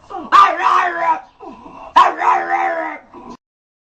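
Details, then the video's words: A dog begging to come home gives comical growls at the door to be let inside. Two drawn-out, warbling growls with strong harmonics, then a short trailing grunt. "Собака просится домой, смешно рычит"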